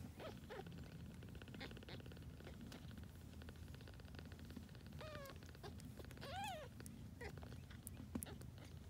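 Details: Grey tabby kittens from a litter born to a rescued formerly homeless cat give a few short, thin, high meows, two arched cries close together near the end, amid low hum and scattered clicks.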